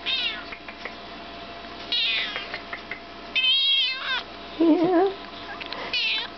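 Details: Chocolate point Siamese kitten, five months old, being vocal indoors: a run of loud, drawn-out meows, some rising then falling, others wavering, spaced a second or more apart, with quieter clicks and handling noise between them.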